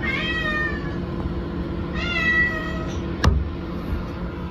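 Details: Maple the cat, shut out while someone uses the rest room, gives two drawn-out, level harmonic meows about two seconds apart, followed by a sharp knock or click.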